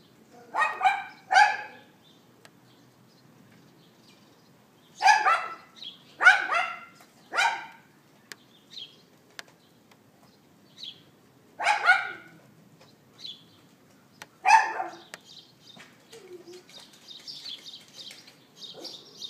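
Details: Outdoor neighbour's dog on April 18th 2012, 11:31 AM, iPhone 4S recording: sharp yapping barks in clusters of two to four, separated by pauses of a few seconds, with faint bird twitters between.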